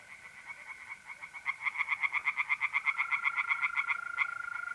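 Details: Mid-April night chorus of tree frogs in a north-east Italian pond: a run of quick, regular croaks about four a second building in loudness, against the unbroken trill of mole crickets.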